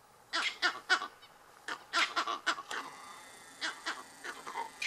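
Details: Monkeys alarm calling after seeing lions about 100 m away; harsh, barking calls in short bursts of two to four, repeated several times over a few seconds, with faint background hiss.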